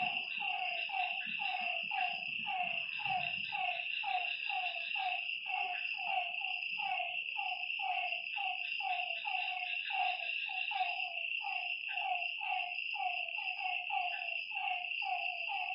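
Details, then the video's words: Frog chorus beside a lake at night: a long run of quick, falling croaks from several callers, growing denser toward the end, over an unbroken high insect trill. "Lakeside night creatures and frog sounds"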